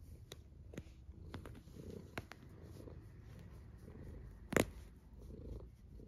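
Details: A sleeping cat snores softly, low rumbling breaths rising and falling in a slow rhythm, with scattered clicks and one sharp knock near the end, indoors.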